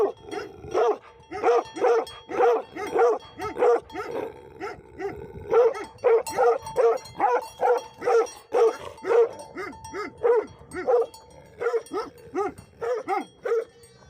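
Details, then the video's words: Livestock guardian dogs keep up a long run of loud, harsh barks, roughly two per second at times, broken by brief gaps, with faint music-like steady tones behind. "Livestock Guardian Dogs Barkng Sound"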